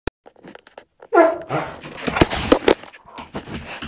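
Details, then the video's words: A 15-month-old male Rhodesian Ridgeback makes some of his funny noises: after a short quiet stretch with faint clicks, a sudden whining, falling vocal sound breaks out, followed by rough, noisy, broadband huffs and bumps. "Rhodesian Ridgeback, funny noises"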